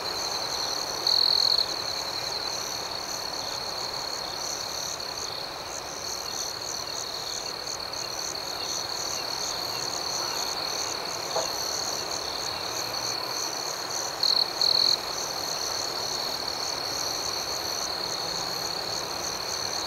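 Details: Crickets at night: a steady high chirping chorus with a continuous shrill band and faster pulsed chirps above it, with a few brief louder shrill bursts. No other clear sounds.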